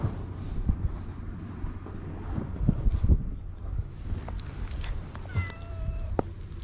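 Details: Stray cat on an island in Japan, met by a man while wandering, recorded with a GoPro HERO8; rustling and handling noises with low rumble come first, then a brief, quieter harmonic meow near the end.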